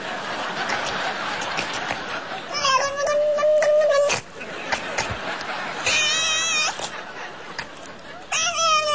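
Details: Domestic cat meowing in a strange, almost human way: a long, steady, drawn-out meow lasting over a second, then shorter wavering, warbling meows, with laughter and voices in the background.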